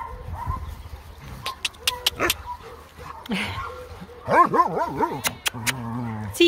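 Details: Tala, a two-year-old medium-sized female German Shepherd mix awaiting adoption at a kennel and described as nervous that day, gives a run of rising-and-falling whining yelps near the end, with Italian speech throughout.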